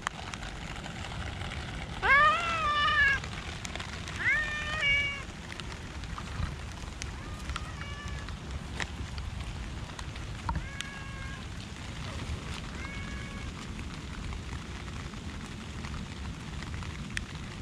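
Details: Cats in a park during rain: two stronger meows early on, then a string of fainter, shorter mews, under continuous rain hiss and scattered clicks.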